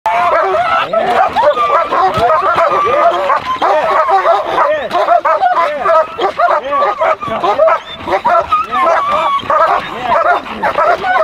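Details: German Shepherds from a kennel that trains puppies and protection dogs, giving dense, overlapping high yips and whines throughout while a person talks, laughs and praises them.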